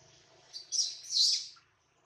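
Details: Baby monkey Adler, held in the hands of a small monkey, cries because he misses his mother and is hungry: two shrill, high squeals, the second longer and stronger, over a quiet background.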